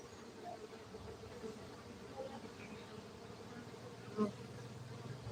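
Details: Soft, even drone of farmed honey bees at a Gayo apiary in Aceh, Indonesia, a quiet two-toned hum that stays constant, broken by one brief louder buzz toward the end over low background rumble.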